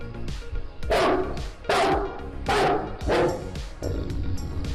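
A Great Dane gives deep, booming barks, roughly one every second, with music behind.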